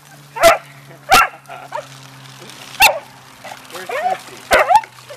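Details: Beagle and dachshund dogs playing in water give four sharp, broadband barks spaced unevenly about a second apart, with a low steady hum and a woman talking in between.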